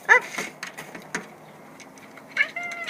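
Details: Jack, a domestic cat excited in his new outdoor enclosure, gives a short bright meow at the start and a thin tonal mew near the end, with rustling footsteps and encouraging human voices between.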